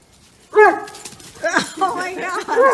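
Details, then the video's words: Borzoi, a large Russian sighthound also called the Russian wolfhound, giving a short burst of vocalizing: a sharp tonal yelp, then a string of wavering, yodel-like harmonic barks and whines, with faint voices in the background. "ボルゾイ 可愛い犬の鳴き声 スリムな俊足大型犬 Funny Dog Borzoi Bark"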